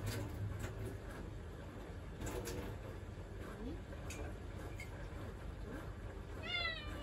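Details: Pet cat seeking attention while someone stands in the kitchen: a single short rising meow near the end, after steady indoor background noise and faint household sounds.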